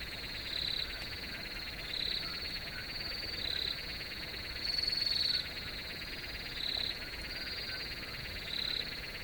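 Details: Crickets in a field: a steady high, buzzing chorus with a louder shrill chirping burst returning about every two seconds, over soft low background rumble.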